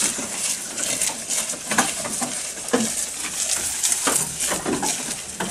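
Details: Close-up recording of a goat feeding, full of dense, rapid crunches and rustles of plant material with scattered louder snaps and no calls.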